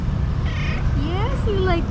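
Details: A chatty calico cat answers her owner with quick upward trills and a meow-like chirp in under two seconds, set against a steady low background hum.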